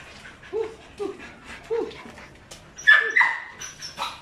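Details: Five-month-old Belgian Malinois pups, a brown and a black, give a series of short downward-bending whiny yips about every half second, then break into louder higher barks near the end.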